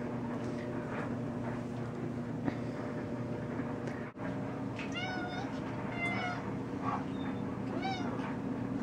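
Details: Sneaky, a pet cat, meows in a home kitchen when a moth gets in; a run of clear, arched harmonic meows in the second half, over a constant low appliance hum.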